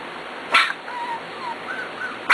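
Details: Four-week-old Corgi puppies indoors giving soft, thin whimpering whines that slide up and down, with short sharp noisy bursts at the start and end.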